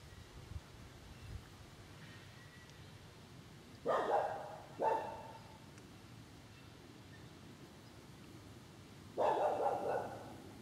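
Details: Green frogs, about forty of them, on 27 September 2013 at 30°C. One gives a few short, twangy gulping notes, spaced apart against a quiet background.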